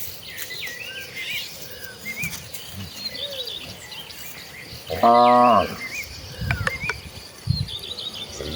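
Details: Tame village cattle in a herd walking to green rice fields to graze on fresh grass: one short, loud, harmonic moo about halfway through, surrounded by steady chirping birds and insect hum in the countryside.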